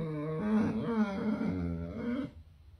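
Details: Chocolate Labrador Retriever puppy growling indoors, upset at being woken up; a continuous low rumbling growl with wavering pitch for about two seconds, then quiet.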